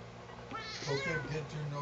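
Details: One short, bending meow from Sugar, a house cat that dislikes being combed, rising then dropping within a second while a woman talks soothingly over it.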